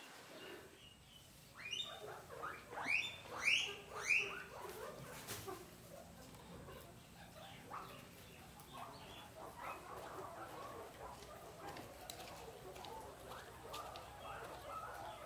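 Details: Guinea pig giving a quick run of about four sharp, rising squeaks in the first few seconds, then settling into softer, low chattering mixed with faint rustling for the remainder.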